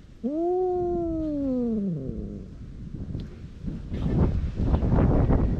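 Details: A stray cat in a standoff with another cat near Dufy, recorded on a GoPro HERO8: one sustained two-second yowl arching slightly up then falling, followed by loud rustling and handling noise.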